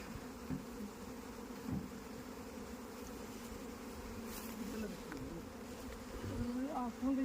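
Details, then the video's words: Honey bees at a beekeeping farm in India make a steady, low droning hum that holds an even pitch throughout, with faint human voices and handling noises near the end. "Bee Keeping Farming in indial"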